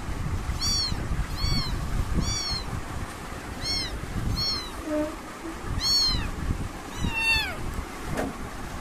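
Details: Young British kittens give a run of seven bright, rising-falling mews at roughly one-second intervals, thin and squeaky, above a rumbling low-frequency background.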